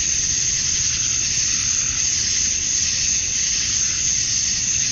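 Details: Georgia, USA, summer dusk: massed male cicadas calling to attract females, a bright, sizzling, continuous buzz with soft swells about every second and a half over a faint low rumble.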